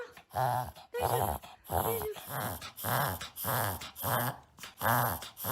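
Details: Reverse sneezing from Maron, a one-year-old pet Shih Tzu puppy living in America, recorded indoors for a doctor's visit: rapid raspy snorting inhalations repeating steadily, roughly every 0.7 seconds, with short squeaky edges on a few.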